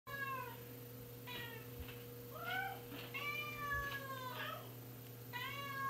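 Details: Several domestic cats meowing indoors in a small room, overlapping harmonic meows rising and falling, some long and drawn out, others short, with a steady low electrical hum beneath.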